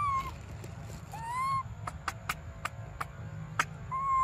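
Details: Baby monkey Briar crying for milk utters a few level, slightly falling whines at the start, middle and end, with a string of dry clicks and taps in between.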